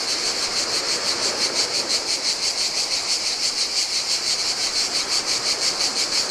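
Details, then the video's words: On a lonely Greek island beach beside the Adriatic, cicadas sing in the heat, a dense high-pitched rasping drone beating in regular rapid pulses, with gentle waves splashing onto the sand underneath. "Cicadas by the Sea - Ocean Waves & Cicada Sounds"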